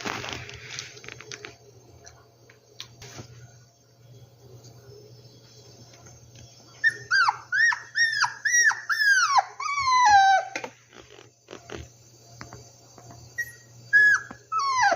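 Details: After a quiet stretch of faint room noise, rescued puppies break into a quick series of about eight falling, nasal whines bunched together, then a few soft, scattered squeaks and taps.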